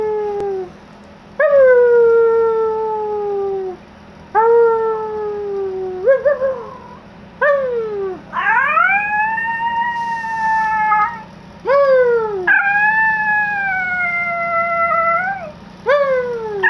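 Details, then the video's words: Yorkshire Terrier, a pet that loves howling, giving a series of drawn-out tonal howls, some sliding down, others rising then holding, each lasting one to three seconds with short breaks between, rich harmonics, over a faint steady background hum. "My yorkie loves howling"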